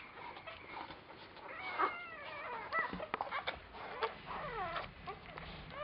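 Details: Little puppies with their mother Chili give squeaky whines and yips that slide up and down in short bursts, with soft clicks and rustling between them and a low murmur behind.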